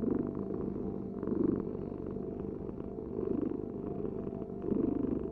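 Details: Continuous low, vibrating purr of a house cat, growing louder in waves as the animal breathes in and out.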